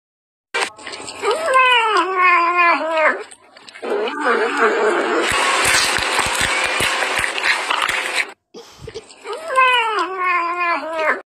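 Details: Cat giving long, wavering, tonal yowls with rising and falling pitch at the start and again at the end, separated by a loud, harsh, noisy stretch in the middle.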